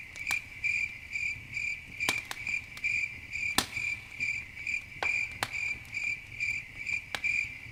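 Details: Crickets chirping at night beside a campfire: a high, bright pulsed trill in short bursts about twice a second, steady throughout, with sharp crackles and pops from the fire scattered between.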